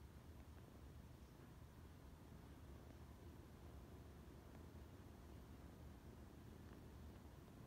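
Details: Cat purring loudly, a continuous deep rumble that stays even throughout, with soft background hiss.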